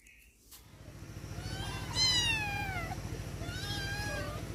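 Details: Domestic cats, four in the household, calling while being fed: two drawn-out harmonic meows, the first rising then sliding down, the second shorter and falling, over a steady pulsing low mechanical hum.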